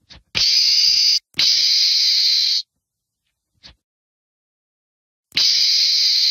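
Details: Meerkat screams: three long, harsh, hissing bursts of about a second each, high and broad-toned, with short faint clicks between and silent pauses.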